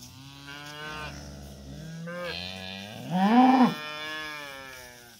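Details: Cattle, cows with calves, on their way to summer pasture, lowing in overlapping moos: low drawn-out tones, then a louder call that rises and falls near the end.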